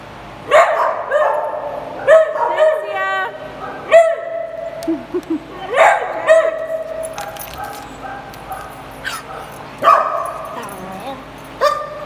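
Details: Dogs playing together in a small play group, giving short, ringing, harmonic barks in loose bursts: about five strong barks spread irregularly over twelve seconds, some doubled, with softer yips and faint voices between.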